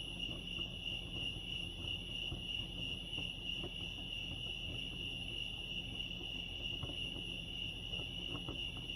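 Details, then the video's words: At Lake Arrowhead in California, crickets keep up a constant shrill ringing trill that never pauses, with thin upper overtones, set against quiet low background hum and occasional brief ticks. "crickets chirping lake arrowhead"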